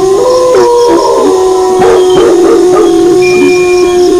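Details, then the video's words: Steady wolf howling held at one pitch, with brief wavering notes and short overlapping cries from a second animal alongside. "Suara Longlongan Serigala disertai Gonggongan Anjing"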